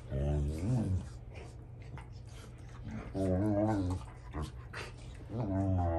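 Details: Indoor squabble among Rottweilers over a toy, with older dogs putting a testing youngster in his place: wavering, groaning vocal bursts about a second long, three main ones, over a constant low electrical hum.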